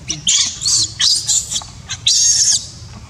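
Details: Shrill screaming from a baby monkey whose mother will not look after it: several loud, harsh, high squeals in quick succession, ending in one longer strained shriek.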